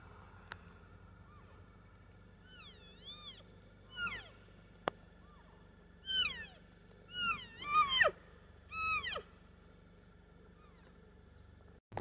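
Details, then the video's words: Bull elk bugling in the snow at Estes Park, Colorado: a series of high, whistled, squealing notes that rise and fall, given in separate bursts across several seconds, quiet and distant over a low background rumble. "Bull Elk Bugling in the Snow in Estes Park Colorado"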